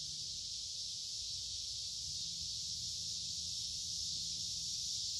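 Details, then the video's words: Woodland cicadas along a creek on a humid summer day, many insects together producing a dense, sustained high buzz that never breaks, with quiet low-pitched hum underneath. "Walking along a Creek with lots of Noisy Cicada Insects Singing in Summer"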